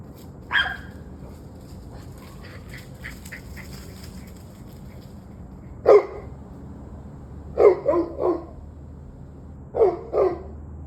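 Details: Evening barking of dogs, 21 November 2023 at 7:06 pm: a lone bark, a pause, then single and doubled barks every couple of seconds, with faint high ticking in the background.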